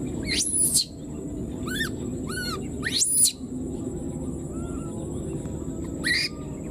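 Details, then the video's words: Wild newborn baby monkey, left behind, calling for its mother: sharp high shrieks sweeping steeply up and down, with arched, harmonic-rich cries between them, repeated several times over a steady background hiss. "the wild newborn baby monkey was left behind and keeps calling for its mother"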